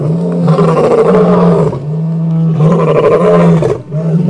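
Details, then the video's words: Roaring from a coalition of five dominant male lions at the full moon in Kruger Park, South Africa: deep, loud, sustained bellows with strong low harmonics, two long roars separated by a short pause. "Amazing Pack of Dominant Male Lions roaring at the full moon"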